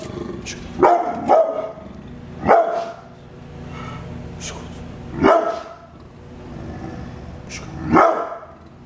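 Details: A brindle pit bull kept as a house guard dog gives loud, sharp single barks, with a quick double bark near the start and a few seconds between the later ones; there is low background noise.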